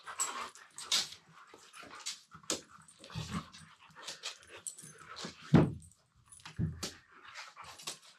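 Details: Two Siberian Huskies playing together indoors, mouthing each other while lying on the floor, one talking in a low-pitched voice: short rough growling grumbles and whines in uneven bursts, with a few deeper thumps and scuffles between.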